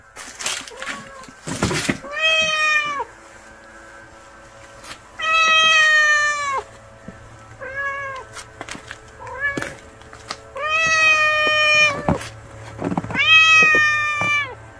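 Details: Hungry stray kitten giving four long, drawn-out meows, each rising then holding steady before dropping, spaced a few seconds apart, with sharp clicks and taps between calls.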